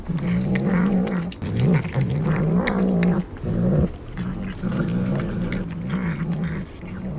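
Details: Domestic cat growling steadily while it eats sea cucumber. The deep, wobbling rumble is broken by short pauses, with crunching and chewing sounds throughout.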